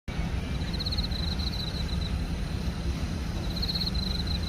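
A cricket chirps in quick pulsed trills over a steady low rumble of wind or distant traffic.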